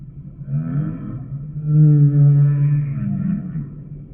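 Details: Deep humpback whale moan, rich in stacked harmonics, rising slightly and then holding a steady low tone at its loudest before tapering into softer wavering groans.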